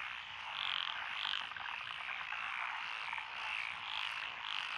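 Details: Lotus paddy frogs near a rural road in Echizen, Fukui, Japan, June 2021; a dense unbroken chorus of buzzy croaking, with a few louder bright calls standing out over the steady wall of sound.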